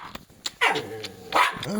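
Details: Jack Russell Terrier indoors giving two loud, harmonic barks about two-thirds of a second apart, each with a falling tail, followed by a short rising whine.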